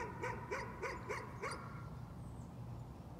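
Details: Dog's nuisance barking: a quick run of five sharp barks in about a second and a half, then quiet with a faint low hum.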